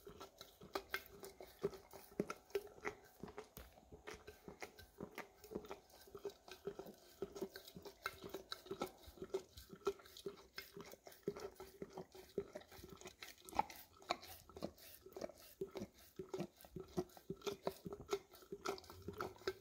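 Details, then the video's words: Rapid, dense licking clicks from an English cream Golden Retriever going after peanut butter in an almost empty jar indoors, recorded with a Samsung Galaxy S10e; continuous wet patter with occasional jar taps and a steady low hum. "Dog Licking Peanut Butter Out of Almost Empty Jar - Golden Retriever"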